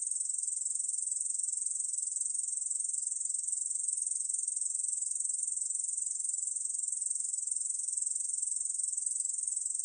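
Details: Korean bush cricket (중베짱이) from a 2020 National Institute of Biological Resources recording: a continuous, high-pitched buzzing trill that holds steady and unbroken throughout, with no other sounds.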